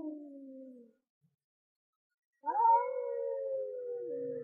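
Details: Male cat yowling while confronting a rival over territory: a brief low moan, a pause of over a second, then a sharp rise into a long, steady, drawn-out howl that sinks slightly at the end.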